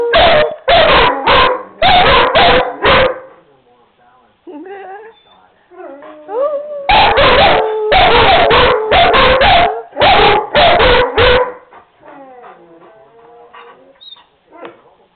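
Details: Prompted by their owner, the dogs Tanner and Buddy break into rapid barking bursts followed by softer, wavering howls that rise and trail off, with a human voice joining in between.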